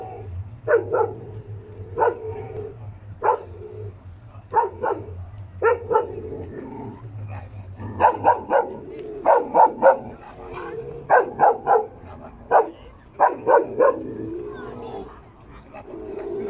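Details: A Karelian Bear Dog barks in loud, sharp bursts, often doubled or tripled, during a predator test demonstration at the Oulu hunting fair, 2019.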